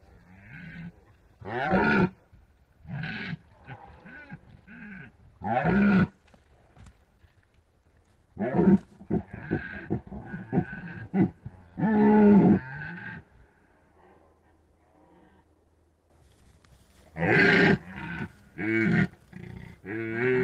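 Red deer stags roaring in the rut: deep, hoarse bellows in bursts, with pauses between.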